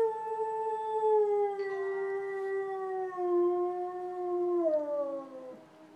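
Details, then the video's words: Pet dog Hops howls in response to police sirens, giving a sustained, rich harmonic wail that drifts gradually downward over several seconds, with a brief pitch step midway and a final falling tail, sirens faintly mingling underneath. "Dog Howling at Police Sirens"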